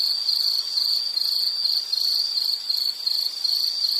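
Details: Insect chirping, a high continuous trilling band broken into short pulses repeated roughly three times a second, steady and dense with faint hiss around it; part of a relaxing nature-sound series.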